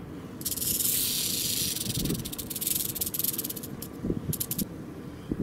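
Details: Wild rattlesnake met while exploring in Nevada, being coaxed to rattle: a dry, hissing buzz runs steadily for about two seconds, then breaks into short irregular bursts over low handling rumble and outdoor noise.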